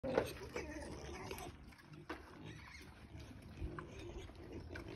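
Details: Wild boars in Barcelona grunting in low, rough snorts, with people talking nearby.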